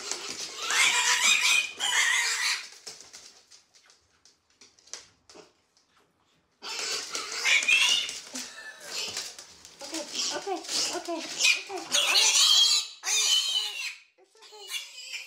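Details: Odie, a stubborn piglet, screams while being trained to walk on a harness and leash. Shrill, harsh squealing screams come in long bursts of one to three seconds, broken by short quiet gaps, with a person's encouraging speech between them.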